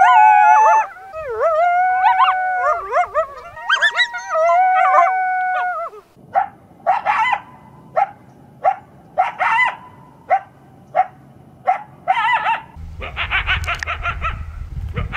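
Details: Coyotes, recorded in the wild and the city, give wavering, overlapping howls, then a run of sharp barks and yips.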